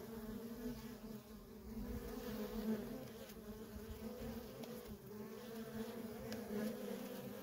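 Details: Feral colony of honey bees with worker bees streaming in and out; a smooth, unbroken layered buzz holds steady throughout, with faint flickers of individual wingbeats.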